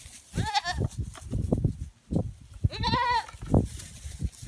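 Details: Pygmy goat playing with sheep at a petting zoo, climbing on their backs; two quavering bleats at about half a second and three seconds, amid scuffling, hoof thuds and low background rumble.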